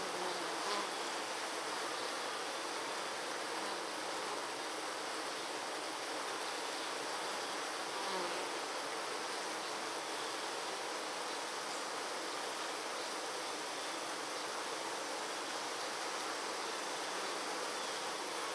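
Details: A steady, dense hum of many honey bees fanning their wings together at the hive to cool it on a 96-degree day, with no breaks.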